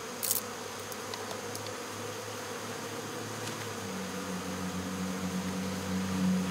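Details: Honey bee swarm being removed from local baseball fields, sugar water sprayed to weigh the bees down; steady low buzzing hum with a sustained drone rising near the end, a few sharp clicks early on.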